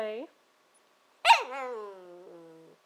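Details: Nanako, a female Shiba Inu puppy aged 14 to 15 weeks, 'talking' indoors, often a sign she wants breakfast or dinner: a brief vocal rise, then a long drawn-out, wavering moan sliding downward, with a person's voice nearby.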